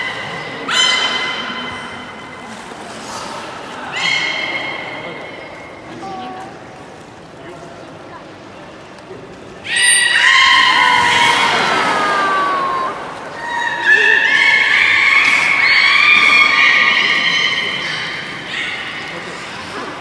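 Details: Beluga in a public training session at Port of Nagoya Public Aquarium on 24 March 2018, 16:30 performance: repeated harmonic tonal calls, then a loud burst of squeals and sweeping chirps, later sustained buzzy tones amid crowd chatter.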